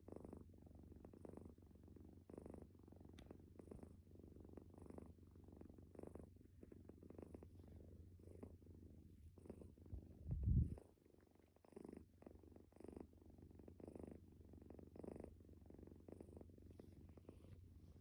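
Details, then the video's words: A sleeping calico stray cat gives a deep, low snore in regular breaths about a second apart. A brief knock or thump breaks in midway, then the quiet rhythmic rumble resumes. "코골이 고양이"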